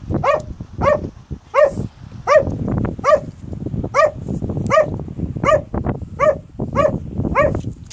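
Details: April 2015, the dog Malic barks at rocks in a favourite game, sharp harmonic barks repeated steadily about every three quarters of a second, eleven in all, over low rustling and scuffing noise between them.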